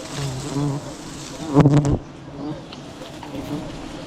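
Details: Bees buzzing around a huge wild beehive being cut during village honey hunting; a steady low hum throughout, with a loud rough burst of noise near the middle.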